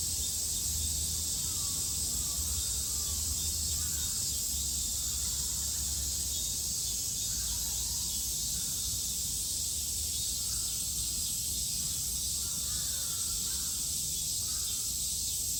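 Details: Japanese summer cicadas, 2022, droning in an unbroken shrill wash, while faint bird calls flicker softly in the background.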